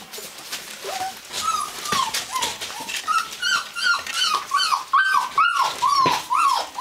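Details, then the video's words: Gordon Setters from the Natolińskie Wzgórza kennel start with quiet scattered yips, then build into steady, insistent whimpers, curved whining notes repeated about twice a second with more than one dog calling together. "Gordon Setter"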